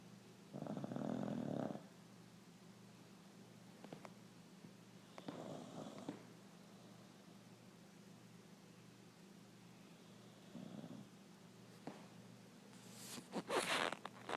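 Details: Chuck, a sleeping Beagle, snores: low breathy rasping bursts, each about a second long, recur roughly every five seconds in a quiet room, ending with a few sharper rustling noises.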